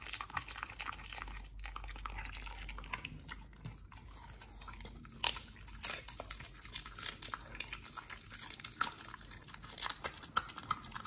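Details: Pit Bull named Nomyen crunching a raw meal of fish and duck feet in a small room; steady moist chewing with scattered sharp snaps, slightly quieter, a few crisp crackles standing out toward the end.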